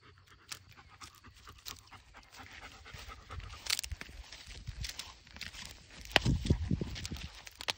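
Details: German Shepherd puppy, a one-year-old male, out walking in a sunny spring forest; quick breathy panting, about three breaths a second, mixed with rustling steps on the forest floor.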